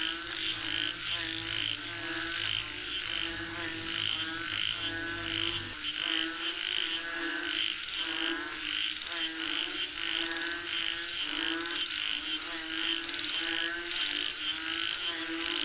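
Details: Frogs calling for rain in a thick chorus: fast rattling croaks overlap without pause, backed by a constant shrill insect drone; a low hum fades out after about six seconds.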